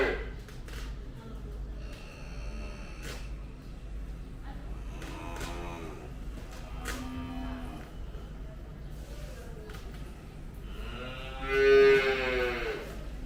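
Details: Calves in a pen at a dairy farm near Mount Kinabalu, Malaysia, "singing" around feeding: several short nasal moos and bleats scattered through the recording, ending in a louder, drawn-out tonal moo, with clattering and background chatter.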